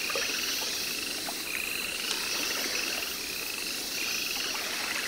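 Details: Baron's mantella, a Madagascar frog, kept at a Paris zoo and recorded in September 2014. Short trains of fast, high, even clicks recur every second or so, with a sharp tap near the middle and continuous hiss behind.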